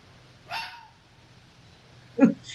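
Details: Red fox (Vulpes vulpes) gives two short, harsh alarm barks about two seconds apart, sounding much like a small dog.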